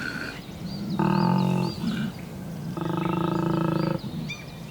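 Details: A large male koala at Cape Otway, Victoria, gives bellowing mating calls in spring breeding season, seeking females; two long, deep, snoring rasping bursts with birds whistling faintly behind.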